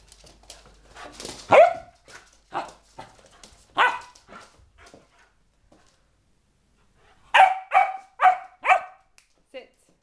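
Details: A four-month-old springer spaniel puppy going slightly crazy gives scattered sharp barks among human speech, then a quick run of four loud barks about half a second apart before falling quiet.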